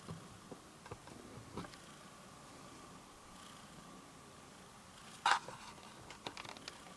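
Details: Purring softly as it kneads, a small cat keeps up a low steady rumble. A brief loud click cuts in about five seconds along, followed by a few faint taps.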